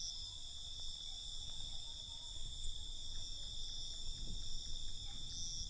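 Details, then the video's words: Night crickets keep up a continuous high, even trilling in stacked bands, with a low muffled rumble underneath and a few faint soft knocks. "Night Cricket Sound"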